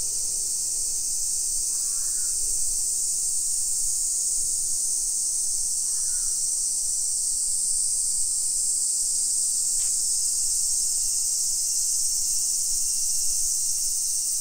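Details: Midday summer cicadas in a modern hillside neighbourhood of Nisshin, Aichi, Japan, 28 July 2021, keep up a loud, even, shrill drone while a crow gives two short cawing bursts near the start and middle.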